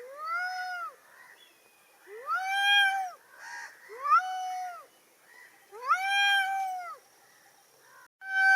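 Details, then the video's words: Angry domestic cat uttering a series of harsh, long meows, about five strained wailing cries of varying length, closely spaced, with a brief interruption near the end. "cat is making horrible angry sounds ~ meow meow noise by angry cat"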